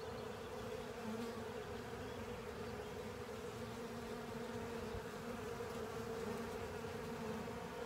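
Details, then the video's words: Honey bees and other insects cleaning up a honey filter, a steady continuous buzzing hum from many wings with a strong low drone band, no pauses throughout. "Honey Bees & Pals Cleaning Up A Honey Filter"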